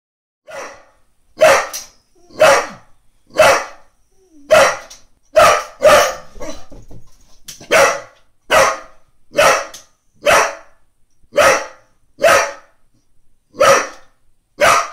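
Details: Female Brittany dog barking at a neighbour's cat asleep on the lawn next door, trying to wake it; loud, sharp single barks repeated steadily about once a second, with a brief scraping noise in the middle.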